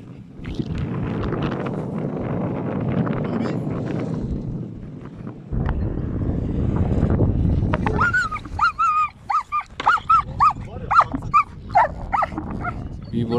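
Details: German Shepherd Ramiz faces down a cow in the open. About eight seconds of heavy low noise and handling sounds give way to a quick series of loud, clipped barks.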